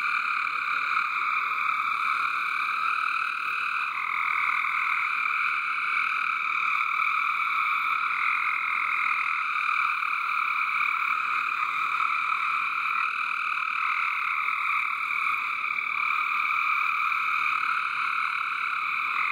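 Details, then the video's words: Loud massed frog calling in a backyard water garden, a dense sustained trilling chorus whose main pitch steps up and down as groups of callers start and stop. "Frog Song in the water garden."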